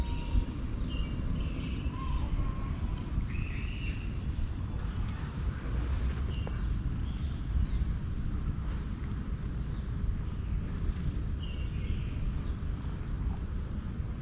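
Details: A male cat showing satisfaction with petting through a long, even, loud purr, a low vibrating drone throughout, with scattered soft bird chirps and whistles in the background.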